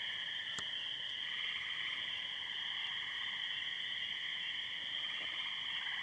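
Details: Dense night chorus of spring peepers and tree frogs in a wet pasture after heavy spring thunderstorms, Muskoka, May 22, 2013. Unbroken high, shrill peeping and trilling layered over a quieter, lower band, with one sharp click early on.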